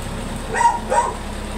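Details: Yellow Labrador, a very big dog brought to a stud service in Manaoag, Pangasinan, lets out two brief yelping barks about a third of a second apart over faint background rumble.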